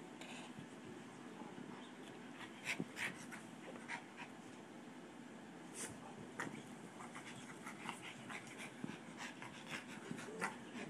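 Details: Two pet dogs, a Boston Terrier and a Pomeranian, play fighting indoors; continuous low rumbling growls mixed with rapid panting breaths and occasional sharp scuffling clicks and snaps throughout.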